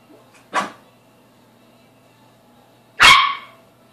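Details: A Toy Poodle gives two sharp, high barks a few seconds apart, curious about a freshly washed cleaning rag hung up to dry indoors, which it treats as an unfamiliar object.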